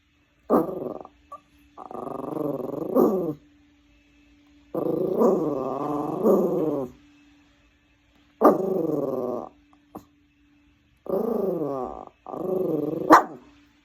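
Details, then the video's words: Pet dog that dislikes the vacuum cleaner, grumbling in a growling 'purr song': five tonal, wavering growls of one to two seconds each, separated by short silences, with a faint steady hum in the background. "청소기가 싫은 강아지의 골골송"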